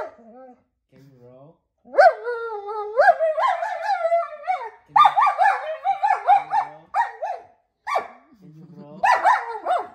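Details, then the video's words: German Shepherd protesting a roll command indoors in a small space; near-continuous yowling whines with wobbling pitch and short bark-like accents, in long bursts broken by brief pauses, with a person's voice low in between. "I’m proving that German Shepherd is not the most obedient dog - roll command got complaints"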